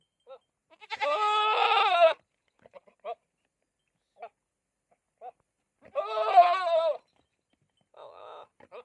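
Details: Two wavering, trembling goat bleats of about a second each, separated by short soft sounds, with a quieter buzzy noise near the end.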